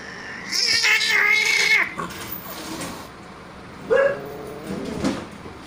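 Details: Frightened cat pinned in a corner with no way out, hissing in fear to defend itself against an aggressive attacking cat; a harsh, breathy hiss mixed with a strained wailing tone for about a second, then a shorter rising cry near four seconds.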